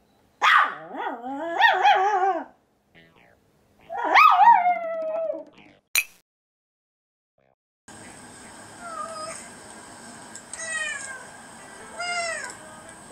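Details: A male white Pomeranian born January 2016, reacting to recorded animal sounds such as tiger and water deer, howls in wavering, rising-and-falling yodels, followed by recorded animal sounds with high chirps.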